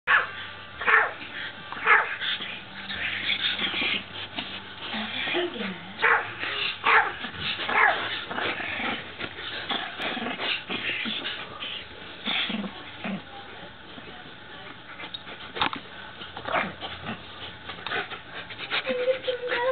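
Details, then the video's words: Hercules, a pet dog that dislikes the camera, barking at it indoors: short sharp barks in irregular bursts, some clustered closely, mixed with a person talking throughout. "Barking doggy"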